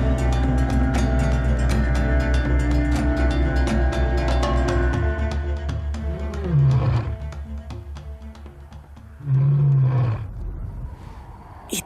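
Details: A lion on the savanna near sunset gives two deep, moaning roars over orchestral music.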